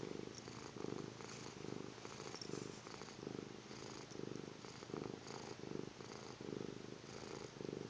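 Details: A little cat snoring in its sleep, about ten rough breaths in eight seconds, each a purr-like low rattle fading between breaths, steady and unhurried.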